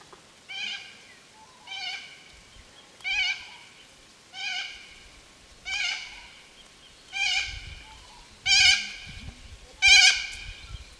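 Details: Feral goats bleating: eight harmonic-rich, slightly wavering bleats, each about half a second long, repeated roughly every one and a third seconds and growing louder toward the end, over a quiet background.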